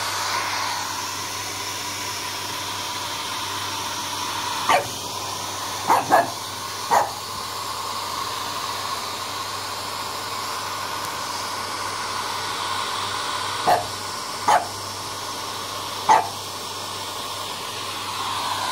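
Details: A French Bulldog puppy meeting his first hairdryer tries to scare it off with short, sharp barks over its steady roar.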